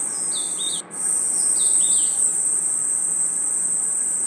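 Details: Night forest insects, crickets among them, keep up a continuous piercing high trill. Short stepped chirps appear near the start and again midway, and a sudden brief gap cuts the sound just before one second.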